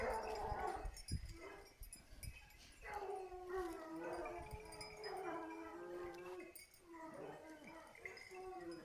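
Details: Hunting hounds during a wild boar hunt at Varen, France, on 21 November 2020, barking near a small wood where disturbed boars had bedded down in several places; overlapping tonal yelps and howl-like bays from several dogs, faint and distant, with some speech.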